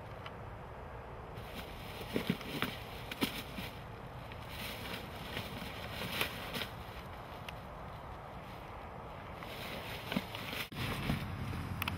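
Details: Gusting wind rumbles over the microphone with scattered knocks and clicks, and no animal voice comes through.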